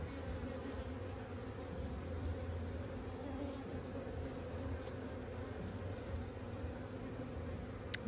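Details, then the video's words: Honey bees in a week-old hive during frame inspection and a search for the queen: a constant, deep, multi-toned buzz lasting eight seconds, broken only by a sharp tick near the end. "First honey BEE HIVE INSPECTION!"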